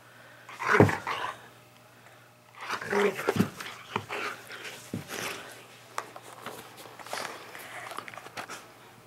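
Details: Skyy, a pet dog, playing indoors in a small room, gives a loud, rough bark near the start and another burst of barking around three seconds, amid thumps, footsteps and a person's voice.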